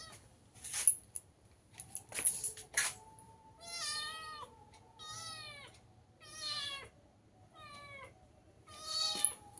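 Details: Gutun, an older pet cat wearing a sweater, meows loudly and insistently, four drawn-out wavering meows spaced about every second and a half, following bursts of rustling and handling.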